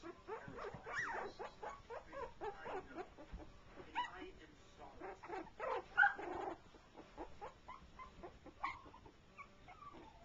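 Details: Three-week-old shorty Jack Russell Terrier puppies at their first playdate, with a four-month-old pup also playing; dense clusters of thin rising squeaks and whines, some overlapping, then sparser yelps toward the end.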